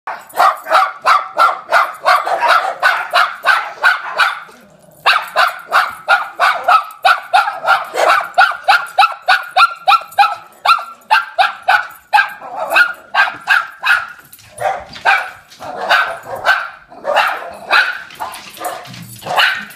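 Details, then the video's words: Dog barking as it retreats from the advancing camera: rapid, sharp barks, roughly three per second, sustained almost without pause through the clip, with a brief gap near five seconds and looser, uneven barks toward the end. "Funny Dog Barking Running Away"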